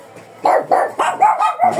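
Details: Fierce Shih Tzu in biting mode, refusing to be touched before grooming: silence, then about six quick, high-pitched barks in rapid succession, each short and tonal.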